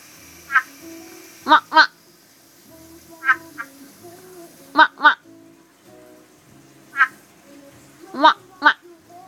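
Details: African big-eyed tree frog giving short, nasal, harmonic croaks, often in quick pairs, repeated every few seconds, with soft voices talking faintly in the background.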